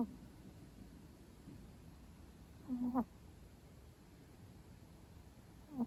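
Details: Long-coat Chihuahuas chip (male) and prin (female) napping together at midday, one snoring: short nasal, tonal snorts with a faint whistling edge, one about three seconds in and another at the very end, over a quiet steady hiss.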